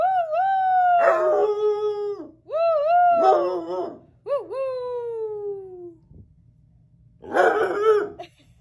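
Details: Bloodhounds howling in a series of long, wavering tones that slide downward, several overlapping voices in bursts of about one to two seconds with short pauses, ending in a rougher, noisier howl.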